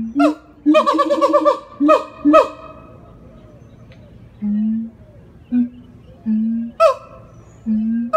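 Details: A siamang at the Jacksonville Zoo, Florida, gives a vocal howling performance: loud honking barks in quick bursts, followed by low, steady booming notes.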